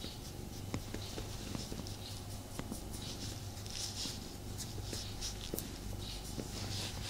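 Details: Indoor male cat purring during a cuddle with its owner, unable to settle completely; a steady low drone underneath frequent scratchy rustles and small taps.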